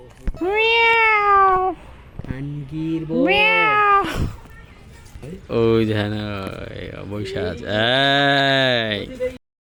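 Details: A tiger cub at Mirpur Zoo (National Zoo), Dhaka, Bangladesh, gives drawn-out, mewing calls that waver in pitch, with people talking nearby.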